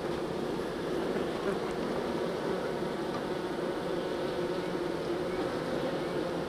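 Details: Colony of honeybees during transfer from nuc box to full hive, giving off an unbroken, even hum of massed wings, low and droning throughout with no pauses.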